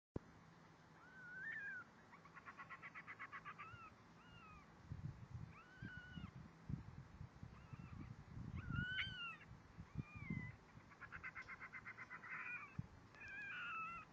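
A young fennec fox calls in thin, rising-and-falling squeaks, some bent into quick arcs, broken by rapid buzzy chattering bursts. Low thumps and rustling handling noise sit underneath throughout.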